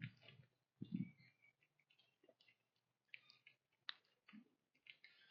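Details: Wild whitetail doe and her fawn eating a pile of corn on a trail in the fall woods at sunrise. Crisp crunching bites and clicks arrive in irregular bursts, with a few dull low thumps.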